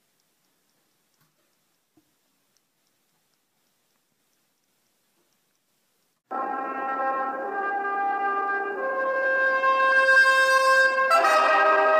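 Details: Near silence with a few soft clicks gives way halfway through to loud, sustained brass-band music that swells toward the end.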